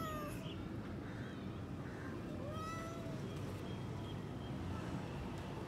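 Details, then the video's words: A frustrated, thirsty cat hunting for water meows several times, short rising and falling cries over a noisy low background rumble. "Thirsty Cat Looks Frustrated | 4K Cat Searching Water"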